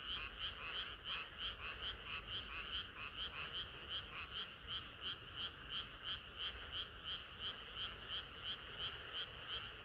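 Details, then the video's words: Many frogs chorusing on a hot summer night: dense, rapid trains of bright, rattling croaks pulse steadily in overlapping waves, with a faint low rumble underneath and no other clear sounds. "개구리들의 합창은 끝이 없어라"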